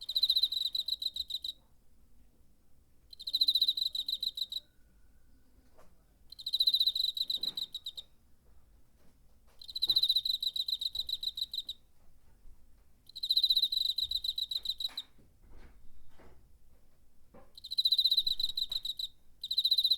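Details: A cricket recorded in September 2019 on a portable recorder: bursts of rapid, pulsed, high chirping about 1–1.5 seconds long, separated by quiet gaps of roughly two seconds, with faint clicks and rustles in between.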